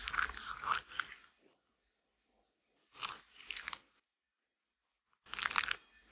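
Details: Female Shetland Sheepdog chewing her daily grain-free lamb and kangaroo kibble: three separate bouts of loud, crisp crunching, each lasting about a second, divided by quiet gaps in a small room.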